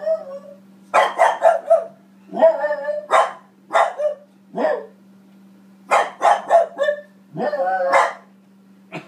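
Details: Barking female French Bulldog Boston Terrier mix reacting to herself on television at home. Rapid clusters of yappy barks alternate with single harsh barks and brief whines, irregular rhythm, over a steady low hum.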